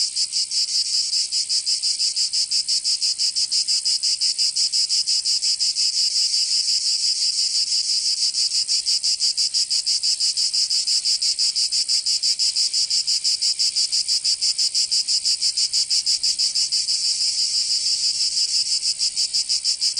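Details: Provençal cicadas in summer, southern France, keep up an unbroken high, grating drone for twenty seconds, beating fast and regularly like a rapid pulse, with no other animals or noise.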